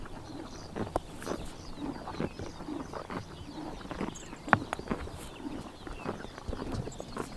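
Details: Horses feeding on grass in summer morning pasture, Tuv province, Mongolia: scattered sharp crunching bites and soft tearing, quieter and sparser, with a few faint high bird notes.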